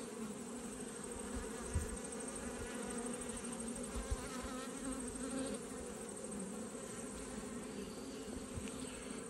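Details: Honey bees buzzing at an open hive during an autumn inspection in Australia, colony that has swarmed; a steady dense hum with a low drone band, occasional faint knocks of frames being handled.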